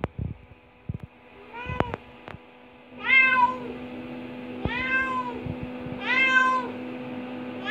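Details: Indoor adopted cat, five years eight months old, sightseeing in a bathroom by the tub, makes several arching meows, one short and three fuller ones in the second half, with clicks and small bumps early on.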